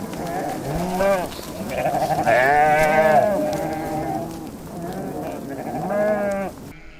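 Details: Sheep of a nomadic herd on the steppe at Bayandelger, Tuv province, Mongolia, kept alongside goats; loud, low, wavering bleats overlap, rising and falling, with a long drawn-out bleat in the middle and another near the end.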